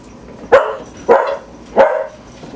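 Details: Three sharp, evenly spaced barks, roughly half a second apart, from one of six pet dogs during a typical morning at home. The barks are clear, with little else behind them.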